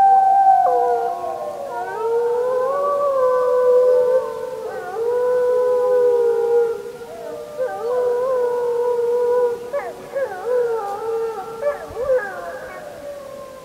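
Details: Wolves howling under the full moon on 31 July 2015, captured on a JVC Everio GZ EX215 camcorder: several long, overlapping howls sliding up and down in pitch, voices weaving together into a drawn-out chorus.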